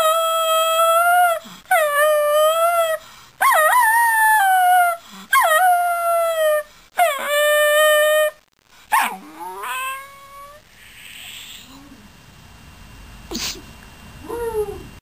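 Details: Miniature Schnauzer singing: five sustained, even howls, each about a second and a half long with a slight waver, followed by shorter rising yips and soft whimpers that trail off into quiet.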